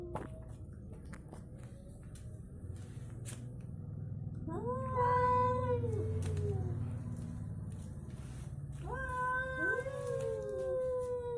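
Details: Orange cat and striped tabby cat in a fight, trading tense yowls: after a quiet start with faint clicks, a wavering harmonic howl bends up and down, then a second rising, overlapping pair of drawn yowls, over a low background rumble.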